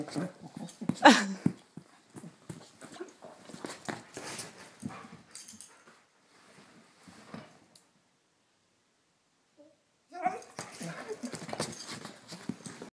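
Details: Scout, a hungry female dog, making the noise she makes every time she wants food: breathy snuffling and wheezy sounds with a brief high whine near the start, a short silent pause, then more snuffles indoors.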